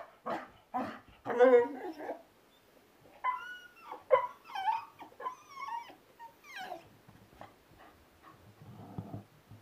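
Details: An 8-month-old Bull Terrier playing with balloons gives a varied run of whining, yelping and grumbling sounds, some rising and harmonic, in short bursts, possibly with a person's voice mixed in.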